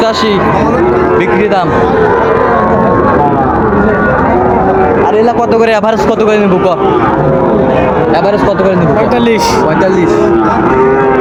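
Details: Sahiwal bull calves at Raniganj cattle market in Dinajpur on 9 September 2024, giving drawn-out lowing moos half buried under a thick din of crowd chatter from traders and buyers.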